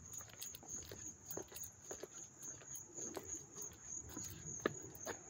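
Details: Close-up cricket chorus in Hastings-on-Hudson, NY, August 13, 2024, a continuous thin high-pitched ringing over soft rhythmic thumps like footsteps and a few sharp clicks.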